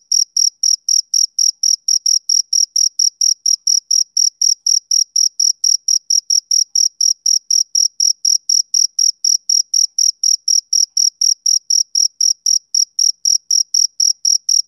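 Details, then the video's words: Summer-evening chirping of a male cricket: crisp, rapid, high-pitched pulses, roughly four per second, evenly spaced and sustained without pause against a silent background. "Cricket Chirping Sound Effect"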